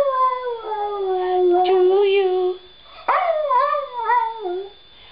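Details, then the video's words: Pet Dachshund howling along while people sing Happy Birthday indoors; long, sliding tonal howls, a sustained falling wail then wavering rising-and-falling notes, with singing voices underneath. "Shorty sings happy birthday to Grandma"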